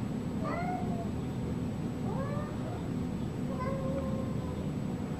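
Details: Domestic cat meowing in a funny cat compilation: three short, rising-then-falling mews spaced about 1.5 seconds apart over a steady low hum, with no other voices.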